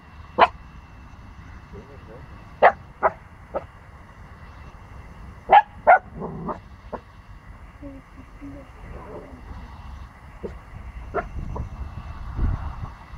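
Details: Fourteen-week-old Pomsky puppy barking against a big dog; brief high yaps come in uneven bursts, some paired, with soft voices and low rumbling between them.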